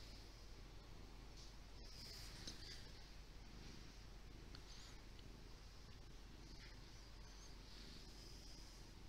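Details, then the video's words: Purring from Lee, a big, fluffy house cat, captured with a Windows Phone 8X: a continuous soft low throbbing rumble runs the whole stretch, with a brief click near the start and light background hiss. "Purring kitty named Lee!"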